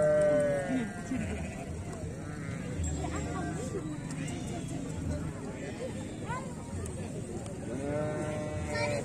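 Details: Show sheep in the exotic category at the Sakub sheep festival, Brebes Regency, Indonesia, 2021, bleating with a quavering tone near the start and again near the end, while a crowd talks loudly throughout.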